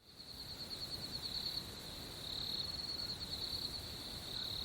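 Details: Crickets at night keep up a continuous high-pitched chorus, a fine shimmering, pulsing trill that barely varies in pitch, with soft background hiss underneath.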